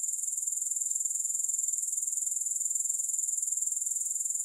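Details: Steady high-pitched grasshopper trill with no music, a fine rasping shimmer beating rhythmically about three to four times per second throughout.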